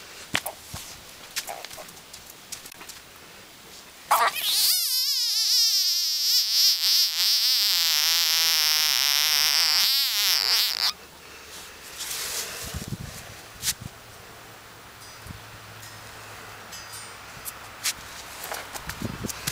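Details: A singing frog: soft clicks and rustles, then a loud, sustained, wavering trill for about six seconds with a shimmering, buzzy tone, then back to scattered clicks and light noise.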